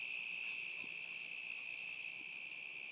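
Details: Continuous high, even trilling of crickets in summer 2010 fills the air, with a couple of faint low knocks or taps underneath.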